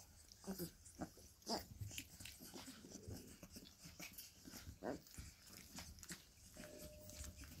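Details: Play fighting among Bull Terrier puppies indoors: brief growly grunts and sharp yelps stand out around the first two seconds, then scattered scuffles and thumps, with a faint steady tone near the end.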